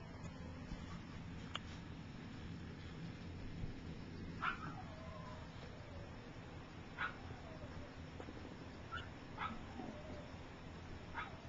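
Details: Three-week-old puppies from Gypsy's litter, some taking first steps and others sleeping; repeated short high squeaks every second or two, several trailing into falling whines, quiet against a constant low background rumble.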